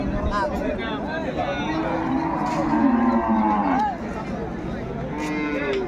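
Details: Dairy cattle at Ambari livestock market, Bangladesh, 21 May 2024, where improved-breed cows and calves are being sold: a moo with a wavering harmonic stack lasting about two seconds, heard over crowd chatter, bargaining voices and background music.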